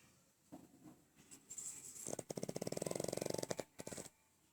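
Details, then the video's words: Sleeping pug snoring, a brief rattling run of fast fluttering pulses lasting about a second, framed by fainter scattered snuffles and small clicks indoors. "My pug snores n make noise while sleeping"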